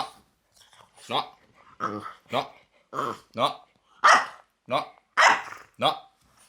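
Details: French Bulldog named Loki making odd vocal noises indoors: about eight short harmonic yowling grumbles, roughly one per second, each bending up and down in pitch like talking, with brief silences between.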